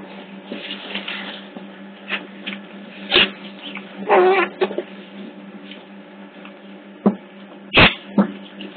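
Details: Hidden CCTV at Hertfordshire Zoo catches otter pups: a drawn-out whining squeal midway, with sharp knocks and scuffing clicks before and after, over a steady electrical hum.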